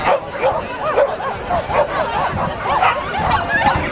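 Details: Afghan Hounds at an agility breed relay in Finland, 2013: a run of short, arched barks repeating roughly every half second against a steady crowd hubbub and voices.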